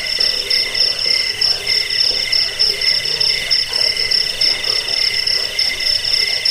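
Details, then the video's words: Continuous cricket chirping for repelling rats, helping sleep and training birds: a shrill high trill pulses in short bursts while lower tonal trills hum steadily behind. "Suara jangkik pengusir tikus pengantar tidur"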